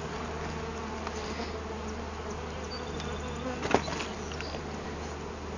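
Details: Honey bees from a hive found inside a large felled tree, with comb pieces moved beside a new hive body, swarming in a steady, dense hum; a low mechanical drone runs beneath, and a sharp click comes near the four-second mark.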